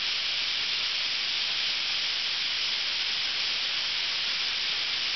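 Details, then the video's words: A summer chorus of thousands of cicadas filling Ryokuchi park in North Osaka, Japan, with a constant, high, hissing drone of even loudness and no pauses or rhythm. "10000 CICADAS"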